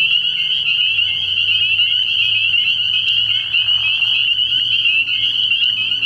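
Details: Nighttime frog pond in early spring, alive with many spring peepers whose high peeps overlap into a continuous shrill wall of sound, a soft low drone running underneath throughout.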